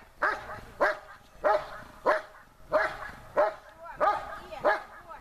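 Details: Protection-trained German Shepherd Besser barks at the helper while searching for him in harder conditions; eight clear, evenly spaced barks in about five seconds, each a short harsh burst.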